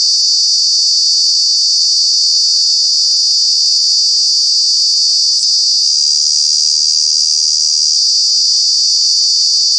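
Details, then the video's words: Cicada calling in Kanha National Park, where cicadas are noisy in the summer months; a loud, unbroken high-pitched buzzing drone that holds steady throughout, with only a slight shift in tone partway through. "Cicada, Cicadas are true bug with very loud sounds"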